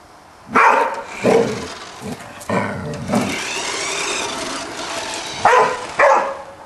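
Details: Golden Retriever named Fabio barking at a Spiderman toy indoors: loud, sharp single barks, a couple close together at the start, then a rumbling stretch, and two final barks about half a second apart.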